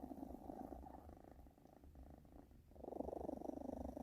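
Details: Continuous low purring from a British Shorthair kitten, a throbbing rumble that dips briefly in the middle, then swells louder and more even toward the end.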